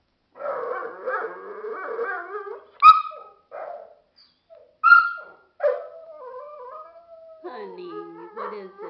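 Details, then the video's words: Dogo Argentino at home, apparently trying to tell its owner something, makes low grumbling moans, short sharp yips and brief whines, ending in a long wavering howl. "Dogo Argentino Speaks"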